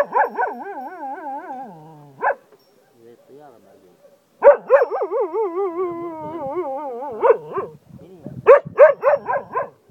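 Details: Cocker Spaniel in Ajloun, Jordan, howling like a wolf: wavering harmonic howls that slide downward, a quiet pause with soft murmurs, then a long sustained howl breaking into rapid repeated yelps.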